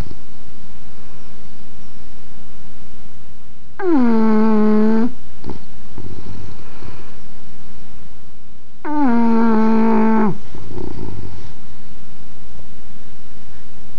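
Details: Snoring English bulldog indoors, two long rasping harmonic snores about five seconds apart, each over a second long, followed by softer breathy exhales, low steady room hum underneath.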